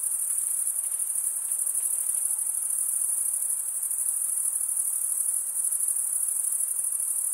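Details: A steady chorus of chirping crickets, produced by stridulation of the wings: a continuous, piercing high trill with slight pulsing texture and even loudness, nothing else audible.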